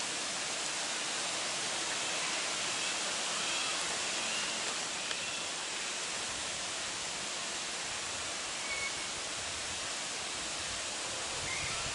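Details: Steady broadband hiss like rushing water or wind noise fills the clip, with no animal calls standing out.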